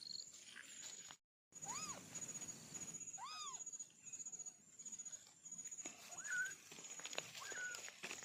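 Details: Two strong, curved mews from a young kitten, one of four siblings, sound about two seconds apart, followed by two quicker, softer mews. Rustling, light footsteps and a steady high-pitched hiss run underneath.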